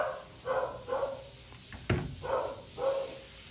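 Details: Poodle mix dog barking while being groomed: four short, mid-pitched barks in two pairs about half a second apart, with a sharp knock in between, in a quiet indoor room.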